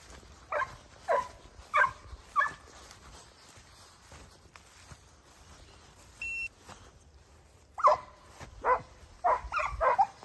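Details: Italian Hound pups of 8 and 17 months with their sire Geko bark in short clusters: a handful of loud, clipped barks, a quiet gap, then a renewed faster flurry against faint background hiss.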